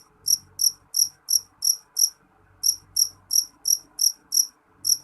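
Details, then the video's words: Piercing, high-pitched chirps from a jeliteng cricket come in short bursts of about three per second. The bursts are separated by brief silences. Low background rumble is faint throughout. "Suara jangkrik jeliteng nyaring"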